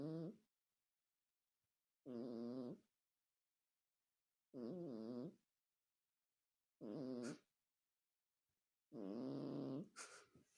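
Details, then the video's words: Loud snoring cat: five rough, buzzy, harmonic snores of under a second each, about every two to two and a half seconds, with clean silence between breaths. "Жуткий храп кошки"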